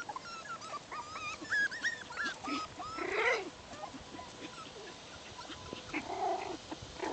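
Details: Six-week-old Bichon Poodle puppies playing outside, giving short high whining squeaks with arched, hooked pitch contours in quick series, followed by a louder harsh yelp and later a lower whimper.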